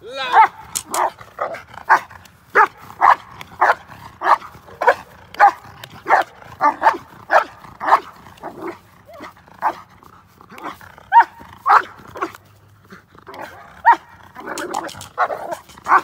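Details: Intact male Belgian Malinois named Trooper barking during bite work on a suit and sleeve, a fast series of sharp barks roughly every half second, with human voice mixed in.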